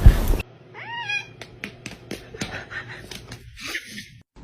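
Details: Kitten giving a short, rising-then-falling meow of about half a second, followed by scattered clicks, taps and rustling handling noises.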